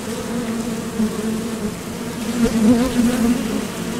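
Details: Honeybee wings whir at the Top Bar Hive entrance as foragers depart and land; the low drone wavers in pitch and grows louder toward the end as a bee passes close.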